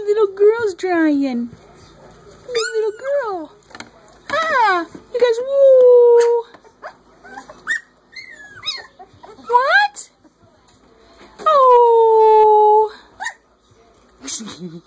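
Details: Three-week-old Corgi pups howling together in a chorus, several voices rising and falling in wavering, sliding howls that overlap, some dropping low and others climbing high, with brief pauses between bursts and a few whimpers near the end.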